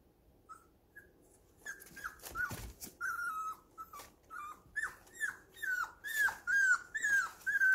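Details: Baby puppies at home, leaning on each other yet playing rough: after a quiet start, high thin whimpers slide downward, repeated about twice a second with small scuffling noises.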